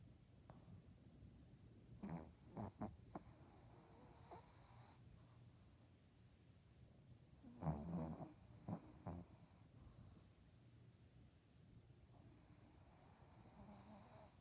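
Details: Dog snoring: soft, low rasping breaths in a steady background, broken by bursts of louder snorting, rattling exhalations around the second and eighth seconds.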